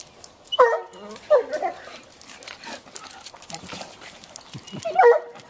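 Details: Two bloodhounds playing with a toy and splashing in a swimming pool: short, hoarse barks and yelps in three bursts, each dropping slightly in pitch, over splashing water and faint human voices.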